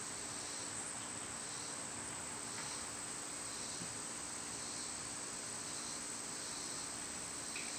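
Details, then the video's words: Cicadas in summer make a shimmering high buzz that rises and falls in slow surges about once a second, with a steady shrill tone above and distant low noise beneath. "Birds & Squirrels w/ Cicada sounds"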